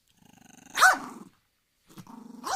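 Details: Angry dog giving a low pulsed growl that breaks into a sharp rising-falling bark, then resumes growling with another bark starting at the end.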